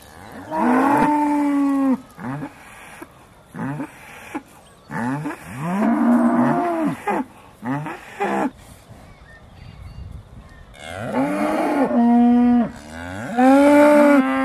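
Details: Dairy cows of the Aussie Red breed at Beaulands, December 2012, shortly before milking: a chorus of overlapping moos, long and short, some rising and falling, several animals calling with brief gaps.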